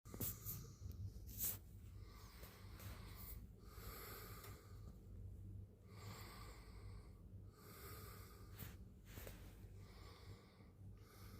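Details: Domestic cat purring indoors in the morning: a steady low rumbling drone runs throughout, overlaid by soft breathy hisses and a few sharp snuffling bursts, in a quiet small room.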